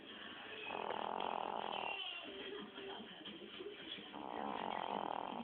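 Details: Snoring from a sleeping Chihuahua: two drawn-out rasping breaths about three seconds apart, each over a second long, soft and steady against quiet indoor background.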